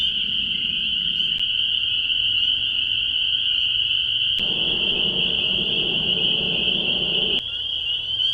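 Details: Chorus of spring peepers at the Bashakill, recorded by an acoustic monitor. Countless overlapping high peeps form a continuous shrill whine. Sharp clicks occur at intervals, with a faint low background hum shifting beneath.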